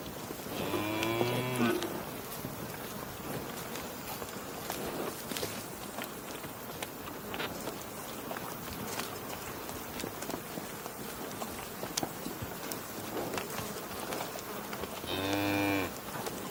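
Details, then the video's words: Cow mooing: a short harmonic moo near the start, then a long stretch of quiet outdoor background, then a second moo close to the end. "Cow Mooing Sounds"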